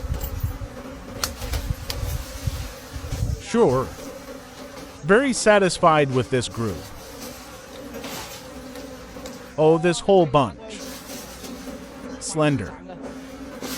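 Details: Forest wild bees around dark honeycombs at a late-season harvest, repeated close flybys giving bursts of buzzing with sliding pitch, clustered in groups, above a steady low hum.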